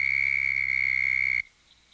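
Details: A Southern Toad (Bufo terrestris) gives its breeding-season call, a steady, high-pitched musical trill that cuts off abruptly, made by forcing air back and forth over the vocal cords about 75 times per second.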